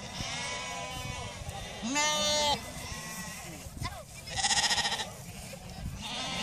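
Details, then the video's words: Icelandic sheep bleating in chorus: loud, rich, quavering bleats, one around two seconds in and a tremulous one near four and a half seconds, over a continuous murmur of other flock voices. "Íslenskar sauðkindur jarma í kór"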